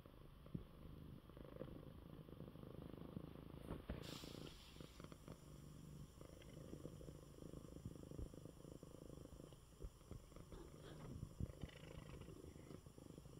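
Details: Coco, a male pet cat recovering from illness, purrs in his bed after eating well: a steady low rumbling purr runs throughout, with a soft room hiss and a brief faint click early on.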